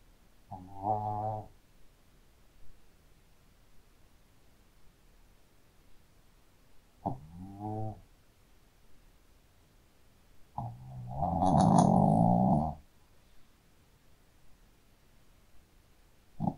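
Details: Shih Tzu dog snoring in its sleep: two softer, shorter rattling snores, then one long, loud, rumbling snore lasting about two seconds, with quiet gaps in between.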